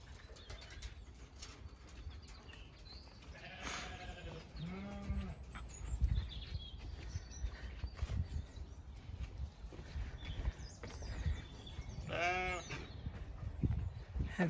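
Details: Pregnant Zwartbles ewes being fed about five weeks before lambing on a regenerative farm in County Kilkenny, Ireland; a few wavering, harmonic bleats break through a steady low rumble with scattered knocks and faint bird calls.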